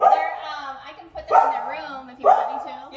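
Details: Pit bull barking at a dog training visit in Southwest Florida, Lee County, where the dogs are noted as aggressive toward other dogs and reactive toward people; three drawn-out, harmonic barks about a second apart.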